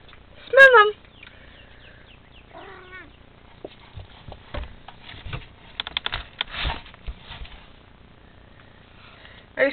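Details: House cat Melvin tries to play with Garfield, an outdoor cat, through a bedroom window: a clear bending meow opens, a second shorter meow follows two seconds later, then soft talk and rustling, with another meow at the close.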